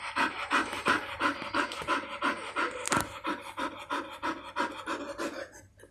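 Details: Mother Golden Retriever indoors while cleaning her newborn puppies. She pants steadily and rhythmically, roughly three breaths a second, each a breathy rasping puff. A sharp click sounds near the middle, and the panting fades at the end.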